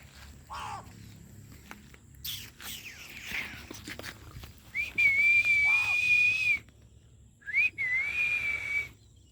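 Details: Labrador Retriever puppy giving two thin, high whistled whines, the first nearly two seconds long with a quick rise then a level, gently wavering pitch, the second shorter after a brief pause; faint rustling and soft low background rumble.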